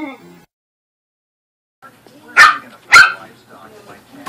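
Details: Corgi and Pomeranian playing together indoors: two sharp loud barks about half a second apart, preceded by a brief soft voice, then quieter grumbling sounds.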